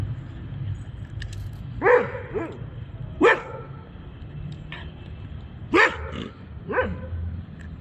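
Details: Labrador retriever at night in Bogotá, playing: short harmonic barks and yips, some in quick doubles, about five bursts spread over the stretch, over a steady low traffic rumble.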